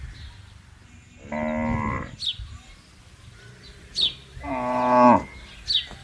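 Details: ['Cattle roaming loose in a wide, open garden pasture: two resonant moos of under a second each, about three seconds apart, with sharp bird chirps around them.']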